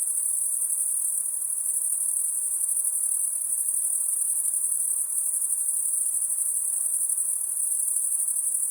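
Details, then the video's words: High, steady insect noise at night, a piercing continuous ringing tone with a slight pulsing texture, unchanging in pitch throughout, set against a quiet, faint hiss. "High Pitched Insect Noise At Night"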